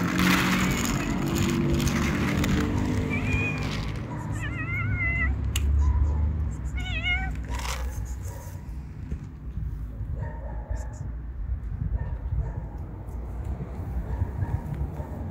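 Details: Hungry street cats living outside give short, high, wavering meows in quick bursts through the middle of the recording. The calls are set against a steady low rumble of background noise, with only faint scattered sounds afterwards.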